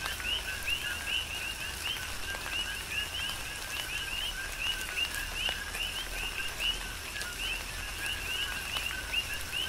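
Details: Coqui frogs calling in a chorus during a tropical rain shower on the Big Island, Hawaii: many overlapping two-note co-qui calls, a short low note and then a higher rising chirp, repeated steadily over constant patter of rain.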